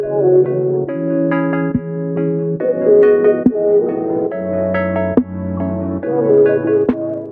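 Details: Piano and keyboard music playing steady chords, with no animal sound heard.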